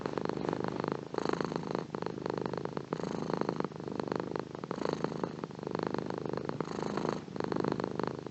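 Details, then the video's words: Contented house cat giving a steady rumbling purr, rhythmic rises and falls in loudness tied to its breathing, close and clear with a quiet background. "Beautiful Purring Cat / Gato ronroneando"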